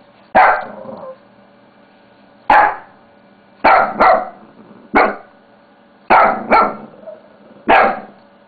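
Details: Pet Shih Tzu barking while playing with a mouse pad: about eight short, sharp barks at irregular intervals, some in quick doubled pairs, separated by quiet gaps with low steady room hum.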